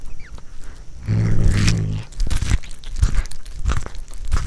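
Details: A pet cat growls indoors while eating corn for the first time: a low, steady rumbling growl lasting about one second, then crunchy chewing and biting sounds.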